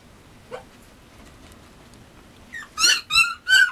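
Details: Male Mame Shiba Inu puppy: one faint short whimper, a pause, then three loud, high, harmonic yelps in quick succession near the end, each rising then falling.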